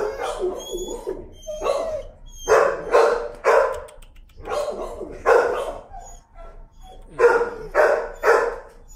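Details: A timid dog protesting the leash lets out loud, harsh screaming yelps in clustered bursts separated by brief pauses, fearful of leash pressure while being walked and desensitized; a person talks quietly in the gaps.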